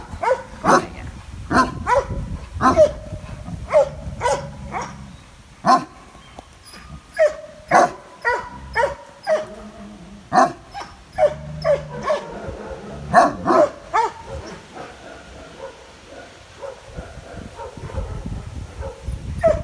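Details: Male Landseer, per his previous owner, possibly a Bucovina or Bulgarian shepherd dog, in an animal shelter in Biberach, barking fearfully at an unfamiliar person: a long run of deep, sharp barks, one every half second to second, echoing in the room.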